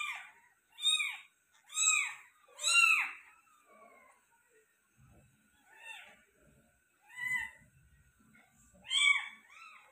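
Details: Persian cat giving birth to five kittens indoors: bursts of arched, harmonic meows, about one a second, broken by quiet gaps with faint low rustling between calls.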